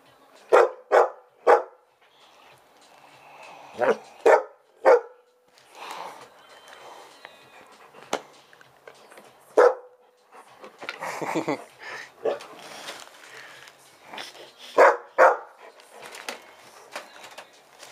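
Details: Old English Sheepdog barking to demand its owner's food indoors: sharp, loud barks in quick pairs and triplets, then pauses and further bursts, with a woman talking to the dog between barks.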